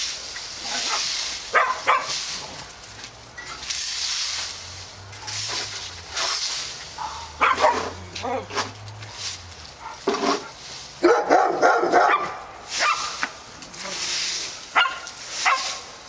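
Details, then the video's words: Dogs at Park Drive giving scattered barks and short volleys amid human voices, a low droning hum in the middle, and a louder cluster of barking near the end over constant background hiss. "Barking Dogs"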